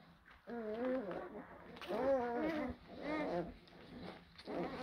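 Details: Blue Great Dane puppies from a litter born in April 2023: high, wavering whines that rise and fall, with several overlapping voices and short pauses between cries, indoors.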